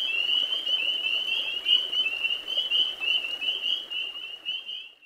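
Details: Spring peepers, amorous males calling in a nighttime spring chorus near ponds, give a steady stream of high, piping peeps that blur into a continuous, slightly wavering whistle under soft background hiss.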